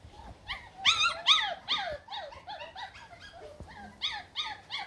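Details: German Shepherd puppies on green grass; high whining yelps that arch up and down, several overlapping in quick irregular bursts, some louder and sharper, with a quiet background.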